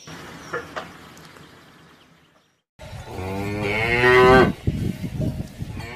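A cow gives a long, loud moo that swells and rises in pitch before cutting off.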